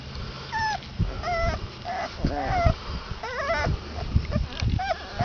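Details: Basset Hound puppies, 22 days old, giving high thin whimpers and squeaks, short rising and falling cries overlapping in quick succession, with soft shuffling and low rustling underneath.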